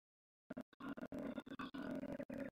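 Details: A koala (Phascolarctos cinereus) gives a rough, grunting bellow in quick, choppy pulses.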